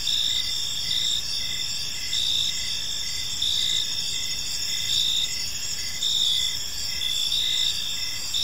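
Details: Park crickets at evening, chirping steadily: a bright high-pitched trill in evenly spaced bursts roughly every second, a softer lower chirp keeping time beneath it, with a light background hiss.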